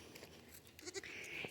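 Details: A young Nigerian Dwarf goat in a fenced suburban backyard pen in Colorado Springs gives a brief, thin, high-pitched bleat that holds steady before cutting off.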